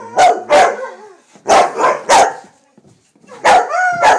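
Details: Retired racing greyhound roos alongside two other dogs joining in; short loud harmonic yelping calls around the middle register, in overlapping bursts near the start, middle and end, with a quiet gap between.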